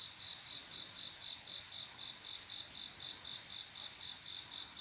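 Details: Crickets on a quiet summer night, males calling to attract females for mating: steady high-pitched chirps repeated about four times a second in an even rhythm, with no other clear sounds.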